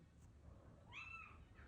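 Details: British Longhair cat seeking attention, a kitten among pets, gives one short rising-falling meow near the end, clear harmonics over low room hum; a person speaks Turkish words around it.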